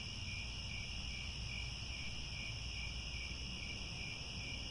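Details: Grassland crickets calling at sunset near Angkor Wat in Cambodia; an even, ceaseless high-pitched trilling wash with a low background hum.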